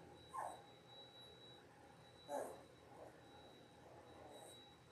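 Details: Labrador Retriever puppies, 10 days old, from a litter of six on a live puppy cam; two brief squeaky whimpers a couple of seconds apart, then a fainter one, over low steady background hum.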